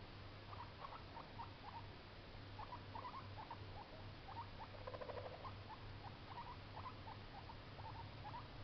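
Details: A baby guinea pig (Cavia porcellus) gives soft, rapid squeaks over a low, steady rumbling hum.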